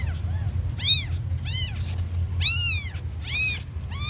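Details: Very small abandoned kittens calling with loud, bending meows about once every second, each one rising then dropping in pitch, over a low background rumble.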